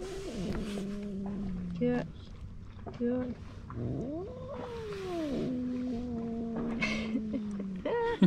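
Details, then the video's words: Rival stray male cats by the sea in Istanbul, one still yowling: several drawn-out wails, one swooping up and down in an arch, with short harsh bursts between them and a person talking in the background. "Two male cats meowing and hissing each other"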